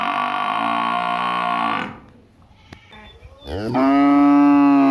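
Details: Cattle in a village, with buffalo also present, lowing: a long harmonic moo for nearly two seconds, a quiet pause, then a rising, strong second moo that holds steady to the end.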